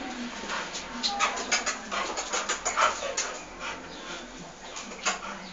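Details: Bull Terrier named Terri, 12 months old, playing at home in León, Guanajuato; short scattered yelps and whimpers mixed with panting and rustling, with a faint human voice in the background.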